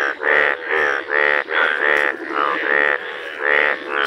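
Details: Bright yellow Indian bullfrog calling in a village: loud, nasal, harmonic croaks of about a third of a second each, repeated roughly once a second in a steady, slightly uneven series.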